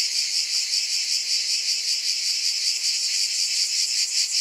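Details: Cicadas in a dense, unbroken high buzz that throbs in quick, even pulses, roughly two or three swells each second, with no other sounds.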